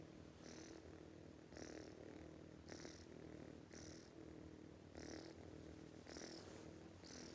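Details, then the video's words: A sleeping cat snores loudly: raspy, hissing breaths in a steady rhythm, about one each second, over a low constant hum. "This cat snoring too loudly"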